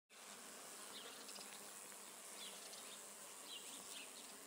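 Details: Bee foraging on Judas tree (Cercis siliquastrum) blossoms, moving from flower to flower; a steady low buzzing hum over a constant hiss, with faint, brief high chirps in the background.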